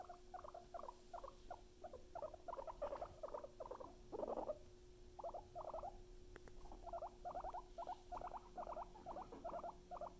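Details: Luna and Chip, pet guinea pigs, chutter in rapid paired bursts, grouped into runs with short pauses between, one louder rustling grunt near the middle, low hum behind.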